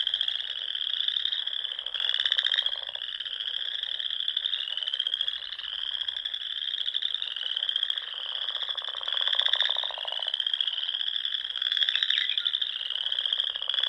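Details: Nebraska Sandhills frogs in spring, calling at dusk around small lakes and ponds: an unbroken high-pitched trilling chorus with periodic louder rasping pulses every couple of seconds layered on top.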